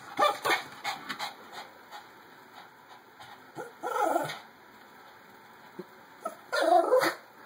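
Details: Jake, a small pet dog, confused and curious on meeting a new robo hamster sliding in its ball, gives three short high whining yips spaced a few seconds apart amid scratchy clicking and rustling.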